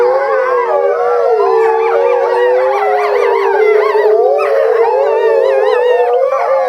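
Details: An Eastern timber wolf (Canis lupus lycaon) family gives a chorus howl of long, wavering, overlapping tones sliding in pitch; captive at Higashiyama Zoo, February 2012, in the breeding season, with one female kept separately in a small yard.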